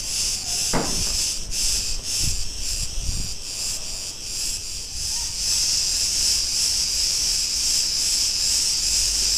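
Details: Cicadas singing in a street in Ierapetra, Crete, Greece: a dense, continuous high buzzing chorus with a faint pulsing rhythm, broken by brief low thumps and passing street sounds.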